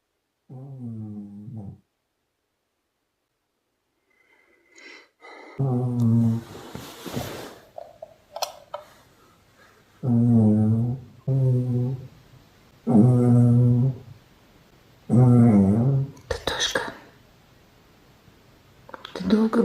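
A Spitz dog snores steadily, each breath a low, buzzy rumble with a nasal edge, returning every two to three seconds. A person speaks briefly between the snores in a quiet room.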